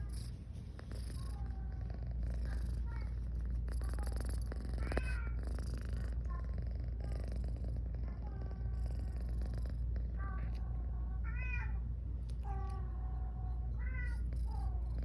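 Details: Sleepy pet cat Garfy, female, purrs between yawns: a continuous deep rumbling purr runs throughout, overlaid by many short high whistled chirps and tonal squeaks in the background.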